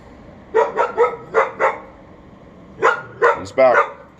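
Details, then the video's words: Unsupervised dog, seen from a bathroom window on May 28, 2022 at 11:43am, barking at the neighbour it hears; a quick run of five barks, a pause, then three more rapid, harsher barks. "Barking dog"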